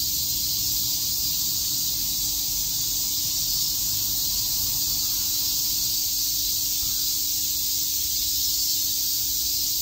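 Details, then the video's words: Summer chorus of cicadas at Shakujii Park in Tokyo, a steady unbroken wall of shrill buzzing that stays level and even throughout, with only a faint low hum beneath it. "Cicada chirps"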